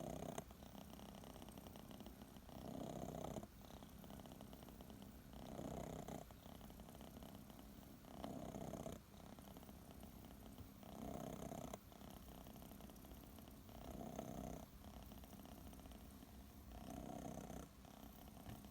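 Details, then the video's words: Sleeping under a warm kotatsu, kitten Chachamaru, aged six months, purrs and snores in a low, even rumble, swelling with each inhaled breath about every two to three seconds across a quiet room. "いびきをかきながらコタツで寝る子猫 cats snore"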